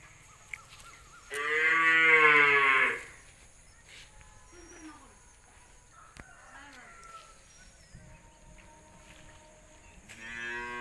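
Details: Punganur dwarf cattle, described as the world's shortest humped cattle, giving a loud, drawn-out moo of about two seconds with a rich, nasal tone. A second moo starts near the end, with soft background noise between the calls.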